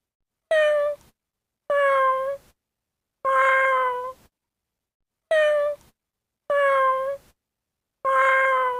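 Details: Cat meowing six times at roughly one-second intervals, each meow a clear, fairly low tone that bends slightly downward, separated by complete silence.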